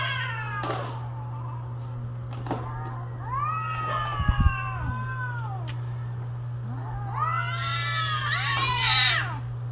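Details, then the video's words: Cats during mating season yowling back and forth: long wavering harmonic wails that rise and fall, the last one climbing higher and louder, with a few short clicks and a steady low hum underneath. "creepy Cats Talking"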